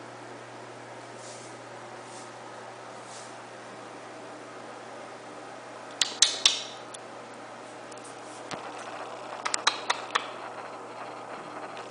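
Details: Quiet indoor room tone with faint hiss, then sharp clicks and metallic taps like scissors or dishes around six seconds and again near the end; no animal voice.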